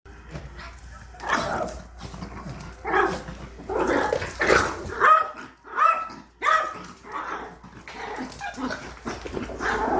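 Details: Yorkshire Terrier angrily barking at a new vacuum cleaner indoors; a series of sharp, irregular barks about every half second to second, some with a whining edge, amid low household noise.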